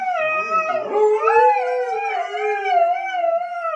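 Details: Husky vocalising while being asked who made a mess: a continuous wavering howl, pitch bending up and down across several seconds, with overlapping harmonic voices suggesting a second dog joining in.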